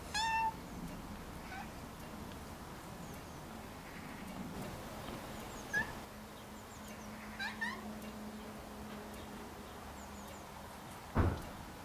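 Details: Left alone in the garden, the cat Rags cries: one loud, clear meow at the start, then a few fainter, shorter meows trailing off between quiet stretches, with a low steady hum and a sharp knock near the end.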